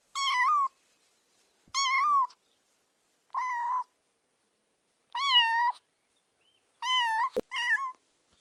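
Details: Kittens stalking butterflies outdoors on grass give six clear, mid-pitched meows with a wavering contour, about every one and a half seconds, with one sharp click near the end in an otherwise silent background.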